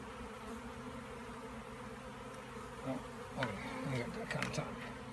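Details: Bees giving a steady low buzz, with brief higher flicks and a few louder passes toward the end.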